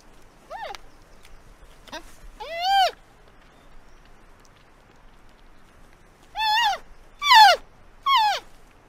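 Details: Faint short squeaks come first, then one loud arched bleat. After a quiet stretch, three strong, rich nasal bleats from a giant panda follow each other closely near the end.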